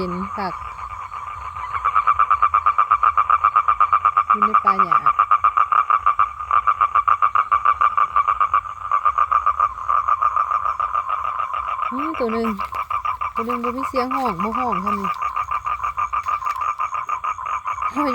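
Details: Male toad calling for females to mate: a long, steady, rapidly pulsed trill that runs unbroken from about two seconds to the end. A man's voice talks over the start and again near the close.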